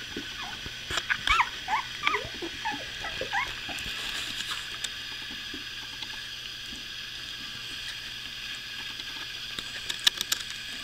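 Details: Two-week-old puppies, all with newly opened eyes, heard in the morning indoors: a flurry of thin, high squeaks and whimpers over the first three or four seconds, then quieter with a steady background hum and a few sharp clicks near the end.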